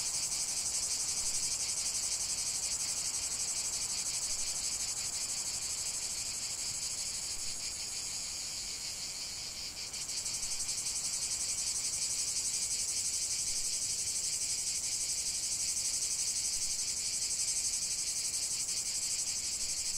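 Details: Cicadas in full chorus, an unbroken shrill high-pitched buzz with a brief slight dip in loudness midway before the drone swells back.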